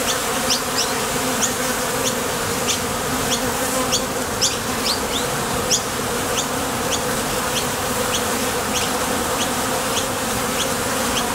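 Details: Continuous droning buzz of honey bees coming and going at a Top Bar Hive entrance on nectar-gathering trips, with a low hum and brief high-pitched chirps repeating quickly and regularly through the recording.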